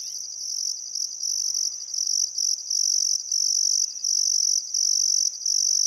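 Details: Crickets chirping at sunset on a still summer afternoon by the Barcoo River, Welford National Park, Outback Queensland, Australia: a high, steady shrill trill broken by short regular gaps, with faint bird calls beneath.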